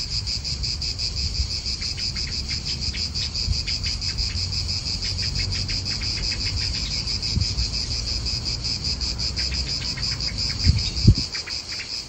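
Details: Cicadas in an Italian park, a steady high buzzing chorus pulsing rapidly and unbroken throughout, with low wind rumble and a few brief low thumps near the end.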